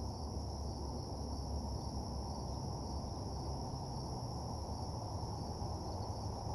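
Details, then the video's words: At night by a parking lot, crickets keep up an even, continuous high trill while a loud, deep rumbling hum fills the lower range. "Nighttime Parking Lot Ambience (Cricket Sounds)"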